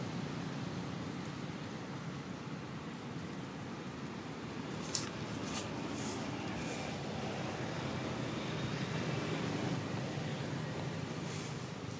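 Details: Steady low rumble like a running vehicle or machinery, with a few brief high hissy bursts and no animal calls.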